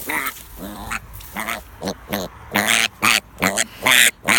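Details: A piglet that dislikes being held gives harsh, high-pitched squeals in rapid bursts right after being picked up.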